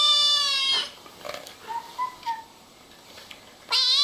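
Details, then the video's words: Kitten ends a long loud meow, followed by soft chirpy murmurs and small clicks, then a new rising meow begins. "Little kittens meowing and talking"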